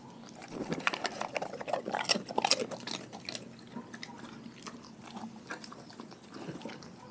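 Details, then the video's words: Dogs from a pack eating raw food: rapid bursts of crisp crunching and biting, loudest in the first few seconds, then steadier wet chewing. "Dogs Eating Raw Food"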